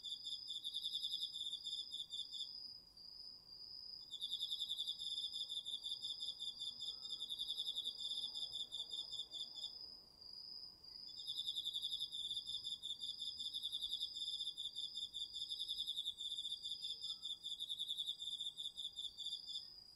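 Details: Crickets and other autumn insects chorusing at night in a residential garden plot in northeastern Tokyo, recorded on a DR-40X; a high sustained trill runs throughout while a pulsed chirping song comes in bursts of several seconds, pausing twice.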